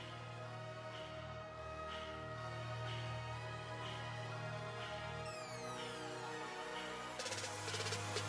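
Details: Steady electronic background music with a low droning beat and sweeping synth tones fills the recording, with no animal sounds.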